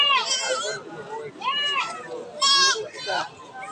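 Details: Desi goats and kids at a bustling goat market, bleating in four short, nasal, wavering calls about a second apart, with people chatting and children's voices in the background.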